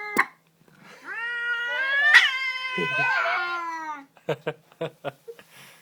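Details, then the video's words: Indoor pet cat, angry when touched after seeing another cat outside, gives a long, wavering, drawn-out yowl of about three seconds with rich harmonics, followed by a run of short sharp clicks and chirps. "Angry cat makes funny noise when touched"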